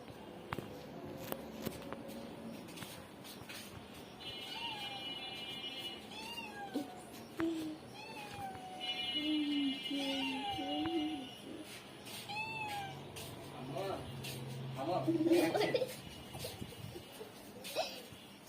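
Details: Domestic cat being fed a large piece of fish taken from the fridge, giving a series of short meows with rising and falling tones, some drawn out, over steady background music and occasional voices.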